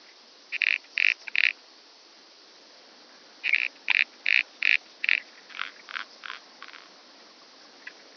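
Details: Calliptamus italicus recorded through an ultrasound detector on Pag, Croatia, 2 September 2019: bursts of three, then five or six rasping pulses, each about a fifth of a second long, fading into softer pulses toward the end.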